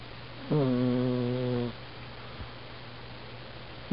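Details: Domestic cat snoring while asleep, captured on a budget compact camera: one loud, drawn-out harmonic snore lasting over a second, then a quiet pause with a steady low hum before the next breath begins.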